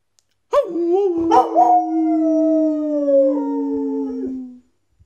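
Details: Border Collie howling along with a person indoors: one long sustained howl about four seconds, steady and slightly falling in pitch, with rich harmonics and a brief wavering start.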